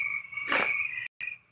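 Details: A distant chorus of spring peepers calls from a swamp in spring, blending into a steady, high-pitched ringing with a brief rushing noise. Toads may also be calling.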